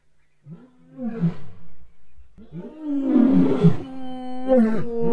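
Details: Lions of a pride roaring on the eastern side of a river, answering a neighbouring pride's roars and claiming territory: deep, moaning roars swell and fade in overlapping bouts, with a closer, louder roar in the second half.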